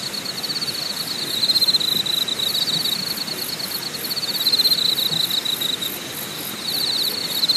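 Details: Insect song recorded at Deokyudae campsite in Deogyusan National Park, Korea: a shrill pulsed trill that waxes and wanes, with a separate very high ticking series repeated about four times a second, over a steady broadband rush.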